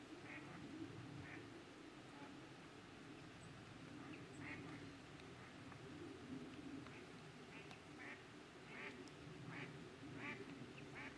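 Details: Green frogs (Pelophylax) at ponds in the Drava valley, Slovenia, on 23 July 2023: short, rough, quacking croaks repeated irregularly about every half second to second over a dense low murmur of more calling.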